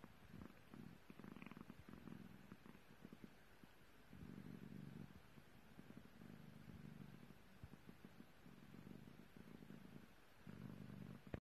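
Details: Contented low purr from a British Longhair kitten as it licks a finger; rumbling bursts of a few seconds alternate with brief quieter breaths, all soft and close.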